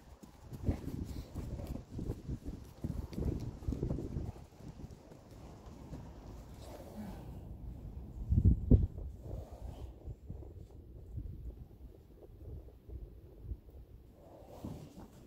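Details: Friesian horses from a herd of mares: irregular low thudding hoofbeats through the first half, a heavier double thump near the middle, then quieter scattered steps. A faint human voice is in the background.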